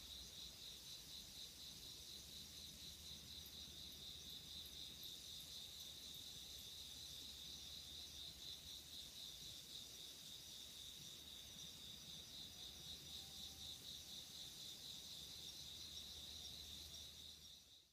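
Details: Autumn 2016 nighttime insect calls: a bright, rapidly pulsed trill repeated steadily with a higher shimmering layer, a faint thin tone drifting in later, and the sound fading out at the very end.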